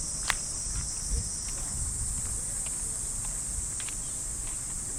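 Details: Summer cicadas in a Japanese park at early morning keep up an even, high-pitched droning hum, lightly overlaid with scattered footsteps and faint ticks from the path.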